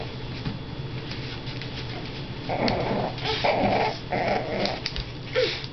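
A Scottish Terrier growls in rough, rasping bursts over a low indoor background hum.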